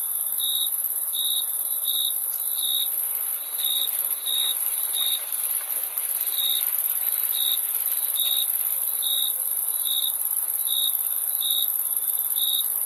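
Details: Crickets give a long run of short, shrill chirps at an uneven but steady pace, a bit over one per second, above a continuous sizzling high-pitched drone of many insects.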